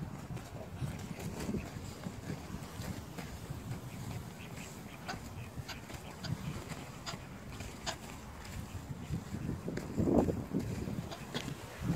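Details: Low rumbling wind and scuffling noise with scattered clicks and a brief louder burst near the end, with no clear animal call.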